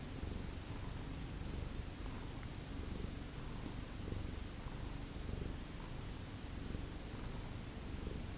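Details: Domestic cat from a feral-rescue cat family, recorded indoors around 8 a.m.: a low, soft, continuous rumbling purr with a gentle pulsing rhythm, a little under one cycle per second, and faint rustling in the background.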